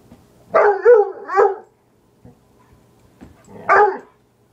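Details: Pet dog barking at the one piece of wood it dislikes: a quick run of three loud, harsh barks, a pause of about two seconds with faint thuds, then one more bark.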